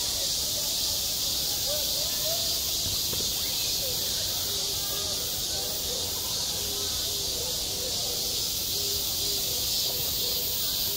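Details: Summer cicadas singing over a school playground: a steady, shrill buzz throughout, with faint repeated short lower notes and distant murmuring underneath.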